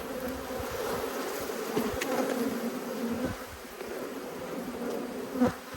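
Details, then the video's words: Angry honey bees swarm around two hives during an inspection on 5 March 2022. A constant, dense drone holds steady throughout, with a faint click near the end. "When Bees Go Wild - Inspecting Two Angry Hives"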